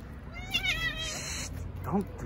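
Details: Street cat at a park where strays crowd around while a tuxedo cat is stroked: one drawn-out wavering meow lasting about a second, followed by a short low chirp, with a woman's hushed voice nearby.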